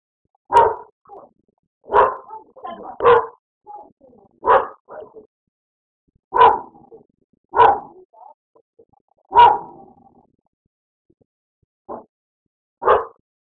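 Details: Pet dog barking at his own reflection in a mirror indoors: nine loud sharp single barks, spaced roughly one to two seconds apart, some followed by short softer huffs, otherwise quiet.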